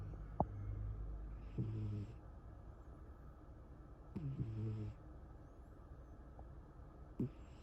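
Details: Rescue cat Puku, still sleepy after dozing all day, snores with eyes half open and wary of being filmed; low, buzzy nasal snores recur roughly every two and a half seconds in a quiet room.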